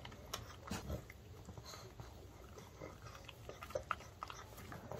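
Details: Ddungi, a male pug, munches oven-baked dog-friendly fried and seasoned chicken made with rice flour and egg yolk coating in an indoor room. Crisp chewing crackles and wet bites come in quick uneven bursts over a low room hum.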